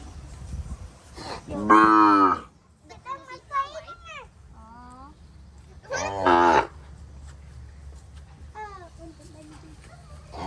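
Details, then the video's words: Calves crying for their mothers in a crowded pen on a rural Cambodian farm: two loud drawn-out moos with rich stacked harmonics, separated by fainter wavering bleats and short cries, with people talking quietly nearby. "សំលេងកូនគោយំស្រែករកមេ ពេញក្រោល"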